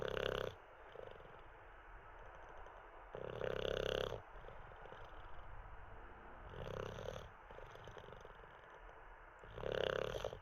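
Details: Sleeping Olde English Bulldogge, Teddy, snoring indoors; loud rattling snores recur roughly every three seconds, each about a second long, separated by quieter snuffly breaths.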